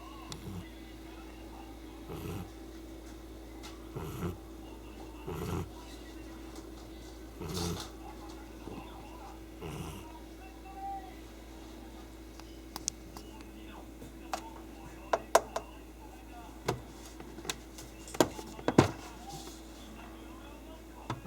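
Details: Chii-kun, a pet cat, snores loudly while asleep: short breathy rasps repeat roughly every one and a half seconds early on, later joined by scattered faint clicks and rustles in a quiet room.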